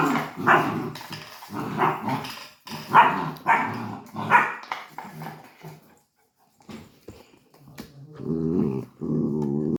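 A Labrador puppy gives a run of rough, uneven yaps and growly barks, then softer whining cries.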